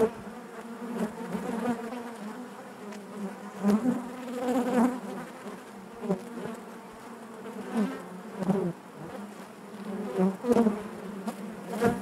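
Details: Honey bees droning inside their hive, a soft continuous buzz with ringing overtones and repeated swells every few seconds as nearby bees move past.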